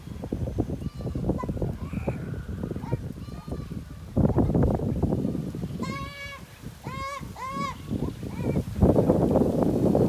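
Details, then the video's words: Goats during mating, several harmonic bleats around six to eight seconds, wavering and nasal, over loud rustling, thumping and handling noise with some speech. "A Goat mating"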